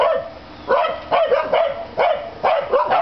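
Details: Corgis bark at a grey and white cat on the other side of a fence, in quick, sharp bursts, each a high yap repeated roughly every half second.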